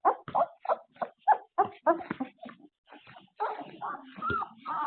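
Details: Puppies after an afternoon nap, filmed on a surveillance camera, give short clipped yips at first, then longer wavering whines, with overlapping murmured sounds.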